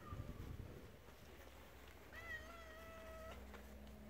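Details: Formerly wild, spayed mother cat looking out for her two kittens' safety on a property shared with tigers and about 40 rescued animals: one steady, flat meow of about a second over low rumbling background noise.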